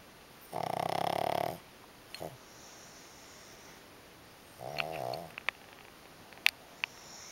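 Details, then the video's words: Two pugs sleep relaxed against each other while one snores: a loud, rasping, pulsed snore lasting about a second, a pause, then a softer wavering snore with faint clicks and small noises around it. "Möpse schlafen aneinander - einer schnarcht"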